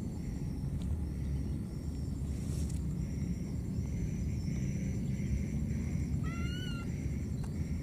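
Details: Wild baby monkey, lost and calling for its mother. Near the end comes one short, clear call that rises and then flattens, set against a dense low rumble and repeated faint high whistles from other creatures.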